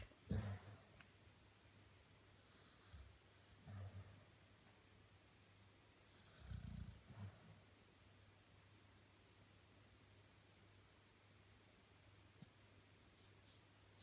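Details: A 13-year-old male Staffordshire Bull Terrier sleeping in his bed indoors, snoring with low rough breaths in a few spaced bursts separated by quiet stretches, a steady low hum underneath.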